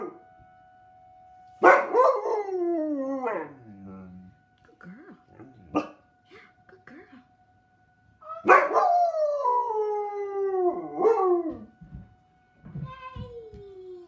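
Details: Pet dog howling along with sirens: two long drawn-out howls, each starting high and sliding down in wavering pitch, separated by a quiet gap with faint yips, over a steady background tone.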